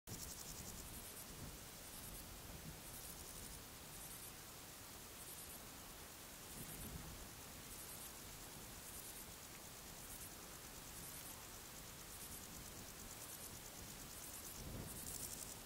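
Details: Male Spanish saddle bush-cricket (Ephippigerida areolaria), calling song recorded 12 July 2019 in Sierra de Guadarrama: short, high, rasping chirps about once a second.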